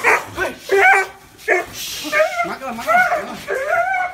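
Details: Dog with a deep, warm voice gives a few sharp barks, then drawn-out wavering whines that rise and fall over the last two seconds.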